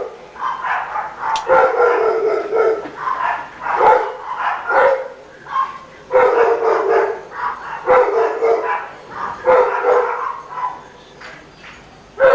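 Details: A neighbour's Rottweiler, heard barking all day long, gives a run of throaty, drawn-out barks in close succession.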